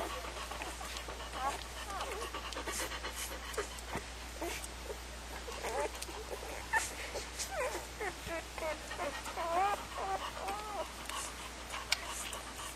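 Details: Several puppies whine and squeak in quick, wavering, bending cries, sometimes overlapping, with soft panting and rustling between them and a steady low hum underneath.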